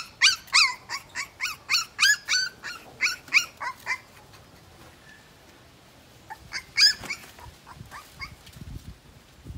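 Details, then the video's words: Shrill whimpering cries from a Siberian Husky puppy two weeks old, about a dozen quick squeals in the first four seconds, a pause with faint noise, then a few more thin squeaks. "2 weeks old Siberian Husky (Crying)"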